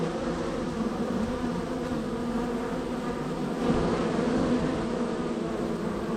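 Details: Very active honey bees at hive number 3, arrivals and departures: a sustained buzzing drone that grows a little louder about halfway through, as if bees fly close, then settles back.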